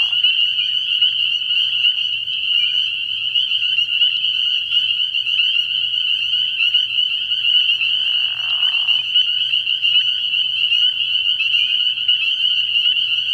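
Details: A dense night chorus of spring peepers at a frog pond early in the year: countless high, shrill peeps merge into a steady ringing wall, with one brief lower buzzing burst near the end.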